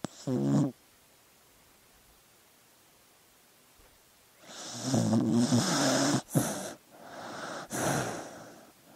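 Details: A dog asleep: a short throaty snore, several seconds of silence, then a longer rattling, grumbling snore with snuffly catches and a final airy breath.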